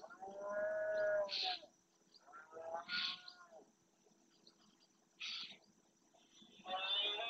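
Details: Red deer males bellowing during the rut (berrea) in the marshes of Doñana National Park, Spain, asserting territory. Three drawn-out, harmonic, arching roars, each about a second long, each followed by a rough breathy burst, with bird calls behind.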